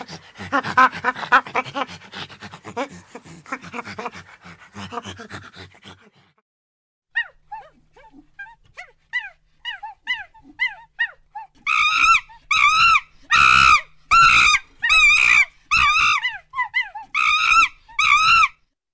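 A monkey gives a rapid pulsed chatter, then soft chirps, then loud harsh shrieking calls.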